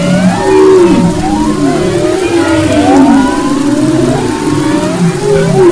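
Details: Humpback whale song recorded off the west coast of Maui in February 2011: sweeping, moaning tonal units gliding up and down, layered with higher arching whistles, continuous and overlapping with faint ocean hiss.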